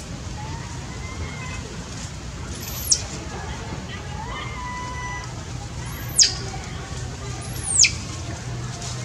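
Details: Hungry baby monkey that has lost its mother, crying for milk: three shrill, piercing screeches that sweep steeply downward, near the third, sixth and eighth seconds, over a steady low background hum and faint thin whistles.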